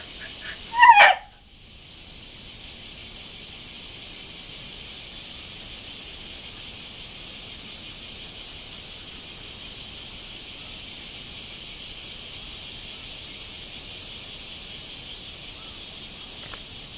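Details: A steady high cicada drone fills a backyard after a rainy spell, with a brief loud sharp sound near the start before the even buzzing resumes.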